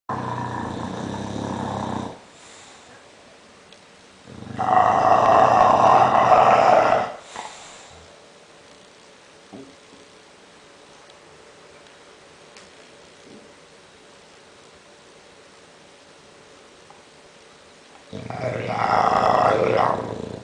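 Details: English bulldog asleep and snoring loudly: harsh, rasping breaths about two to three seconds long. Loud snores come at the start, around five to seven seconds, and at the end, with quiet breathing between.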